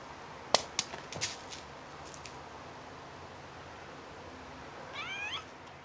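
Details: Elsa, a domestic cat, during a game of fetch: a few sharp taps and clatters early on, then a single short meow near the end that rises then falls, over steady faint background hiss.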